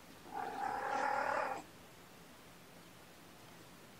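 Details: Gamora, a mother cat with a litter of five kittens born April 14, calls for the babysitter on a June 6, 2018 morning: one drawn-out, steady meow of about a second and a quarter, rich in harmonics, followed by quiet room noise.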